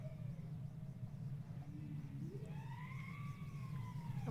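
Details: Bowhead whale (Balaena mysticetus) song recorded off West Greenland, likely the "strangled cat" song type: wavering, siren-like tones, with two separate sounds made at the same time.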